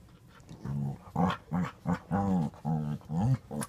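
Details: Play between a five-month-old white French bulldog puppy and a five-year-old blue nose pitbull indoors; a rapid series of about eight short, low, throaty growls and grunts, roughly two per second, rising and falling in pitch.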